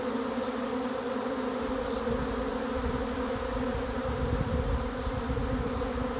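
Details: Arriving swarm of honey bees: a constant, rich humming buzz, growing slightly fuller with low rumble midway, and a few faint, brief bird notes overhead.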